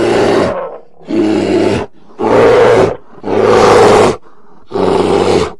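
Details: Polar bear giving deep, rough roars in five long bursts of about a second each, separated by short silences, with a strong low harmonic core and a harsh noisy upper edge.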